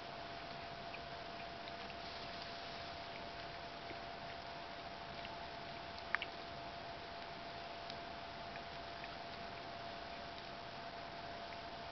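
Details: Quiet steady hiss with a constant low hum and a single brief click, with no animal voice.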